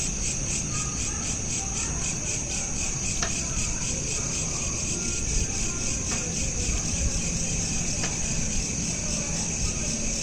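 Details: Crickets at night, smartphone recording: a quick, regular high pulsing chirp runs throughout over a rumbling low background, broken by a few sharp clicks.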